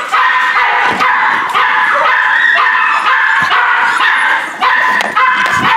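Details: Rescue pups of a Corgi Airedale mix cry in unison: layered, wavering whines with scattered quick yips, sustained almost without break across the clip.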